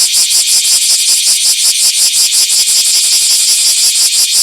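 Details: Close, loud Bear cicada in a small park on 24 July 2026, its shrill metallic buzz beating in rapid even pulses about three per second throughout.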